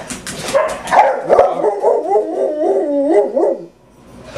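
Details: Six pet dogs (Esther, Becky, Doxie, Sandy, Pudge and Buddy) at home on a typical morning; a burst of sharp barks gives way to a wavering, yodelling howl lasting about two seconds before fading.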